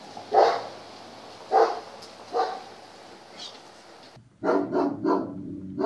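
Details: German Shepherd barking in a temperament test: three spaced single barks at first, then after an abrupt change in background a quick run of three or four close barks.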